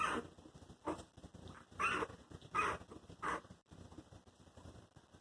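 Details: Four newborn Chihuahua puppies, under two weeks old, give thin, high squeaks and whines in short bursts about a second apart.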